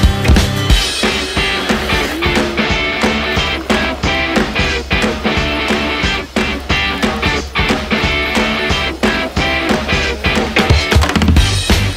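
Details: Loud upbeat rock music with steady drums and guitar throughout.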